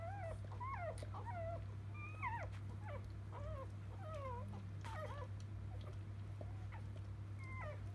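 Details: Just-born field-type Labrador Retriever pups from the litter of biscuit, 2017 JFA grand champion; shrill wavering squeaks and bent whines from several puppies in quick succession, constant low electrical hum beneath.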